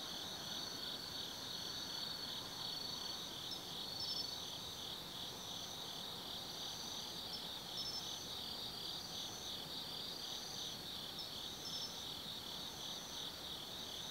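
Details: Autumn insects singing at night from the woods of Tsukimi no Mori, Nanno-cho, Kaizu, Gifu, Japan: an unbroken high shimmering drone with rhythmic pulsing, and short bright trills repeating above it every couple of seconds.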